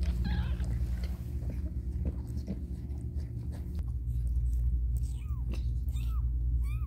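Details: Domestic cat named Caramel during a difficult birth indoors; short, high, arched mews repeat three times in the last two seconds over a steady low mechanical hum.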